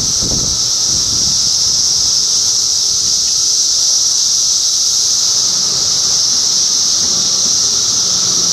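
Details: A sustained high buzzing drone from a large cicada gathering in Middlesex County, New Jersey, June 2013, with a weaker lower tone and occasional soft low rustling or rumble in the background.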